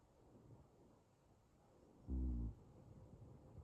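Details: Ragdoll cat, a male named Pop, snoring in deep sleep, which he does only now and then: a single low, rough, harmonic snore lasting under half a second in the middle of quiet room hiss.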